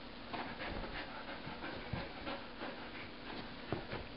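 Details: Two dogs playing tug with an old rope: quick rhythmic breathy panting, several short puffs each second, steady throughout, with faint rustling.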